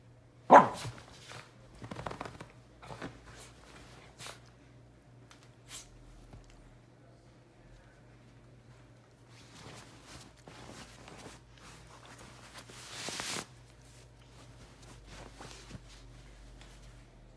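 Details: Male red miniature poodle indoors, playing in a bed, digging under the covers and flopping around; one sharp, loud bark right at the start, then soft rustling of bedding with a few faint thumps and scuffles.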